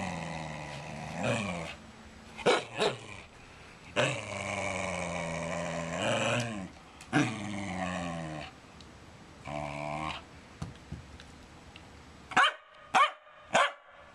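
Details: Male wire fox terrier demanding to play ball, barking and growling through a tennis ball held in his mouth; long muffled growly barks in uneven bursts, then several short sharp barks near the end.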